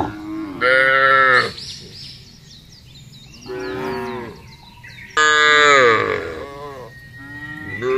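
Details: Large herd of cattle driven across a wide grassy pasture: several loud, drawn-out harmonic moos from different animals, each about a second long, separated by quieter lowing, with faint chirping birds in the background.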